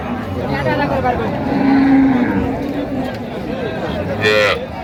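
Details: Cows with calves at Raniganj haat in Dinajpur, 4 September 2025: a steady, mid-pitched moo lasting under a second, blended with busy crowd chatter, bargaining voices and a short sharp sound near the end.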